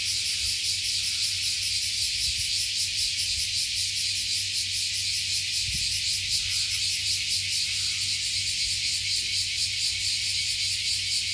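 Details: Many cicadas singing together beneath a 50-year-old tree overlooking Fukuoka Bay, Japan, after climbing up. A dense, steady, shimmering high buzz with fast rhythmic pulsing, with faint low rumbles beneath.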